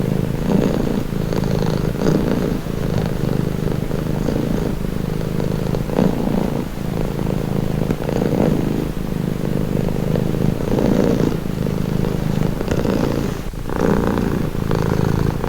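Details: Domestic cat purring steadily in a long calming recording, a low continuous rumble with soft rhythmic swells as breaths alternate, roughly every second or so, with no other clear sounds.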